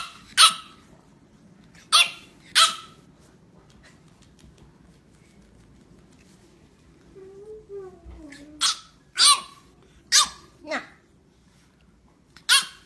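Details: A French Bulldog talking back to its owner gives sharp, clipped barks, with a wavering, whiny grumble in the middle.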